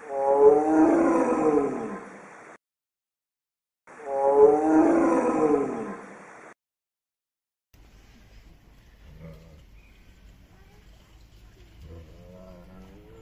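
A Siberian tiger gives two loud, drawn-out roars, each about two seconds long, then quieter rumbling.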